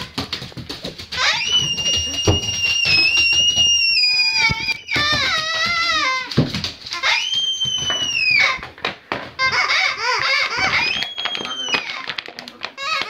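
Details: An 8-month-old Doberman makes drawn-out, shrill whining cries, some held steady and others sweeping downward, broken by short yelps. The sounds echo as if made in a small room.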